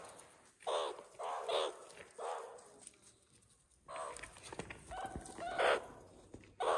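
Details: Young meerkats at Nagasaki Bio Park making harsh, buzzy chirps. Three evenly spaced bursts come first, then a quiet gap, then a denser run of squeaks and one louder burst near the end.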